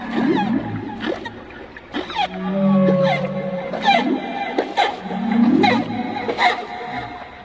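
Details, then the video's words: Gray whale vocalizing underwater, giving low swelling moans and short upswept tones, broken by sharp broadband pulses that recur irregularly about once a second, with faint whistles layered above. "Shoal gray whale infested"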